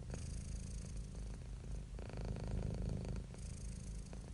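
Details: Happy, relaxed domestic cat purring steadily: a deep, rumbling low-frequency drone that swells and eases with each breath, a louder phase near the middle, no other clear sounds.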